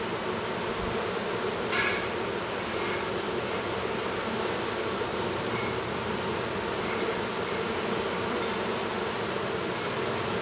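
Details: At an apiary near Duluth, Minnesota, honey bees hum steadily as a young drone chomps at his cell to emerge; a continuous low buzz runs throughout, with a brief click early on.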